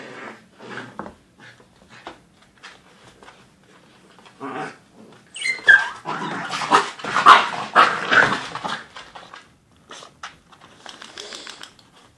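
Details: Two puppies, an Australian Cattle Dog and a Pembroke Welsh Corgi, play-fighting: scattered soft scuffles and huffs, then a louder run of rough growls and sharp yelping cries mid-way, easing back into scattered scrabbling noises.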